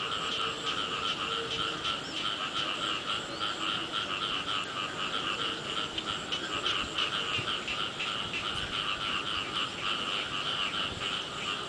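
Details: Many frogs croaking together during early-year rain, a steady wall of rapid pulsed calls at two pitches, bursts swelling and fading without pause, with rain hiss underneath.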